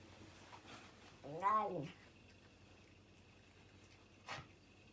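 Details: Domestic cat eating quickly indoors lets out a single short arched meow, rising then falling, followed by a faint click against a quiet room background.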